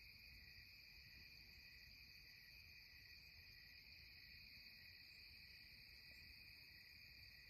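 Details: A continuous cicada chorus at twilight in the Catskills hums without pause, its high, ringing, shrill tones stacked in bright even layers over a soft low rumble of ambient noise.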